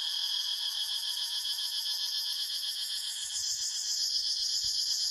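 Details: Cicadas in a forest fill the air with a steady, high, shimmering buzz that pulses rapidly without pause.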